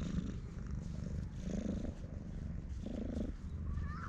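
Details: Affectionate stray cat purring loudly while rubbing against someone's legs, recorded with a GoPro HERO8: deep continuous purring in clear breath cycles, each swelling and fading about once per second, and a brief faint high tone at the end.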